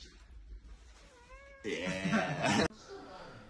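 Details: Domestic cat from a funny-cat reaction compilation lets out a thin rising meow. It is cut off by a loud, harsh burst of noisy sound lasting about a second, then quiet.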